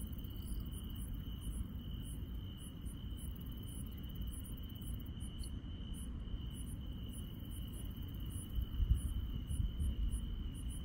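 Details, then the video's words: Grass insects on a countryside night: a steady, unbroken high trill holds one pitch throughout, while fainter, very high chirps pulse rapidly in irregular bursts above it, over a constant low rumble. "시골 밤의 정겨운 풀벌레 소리"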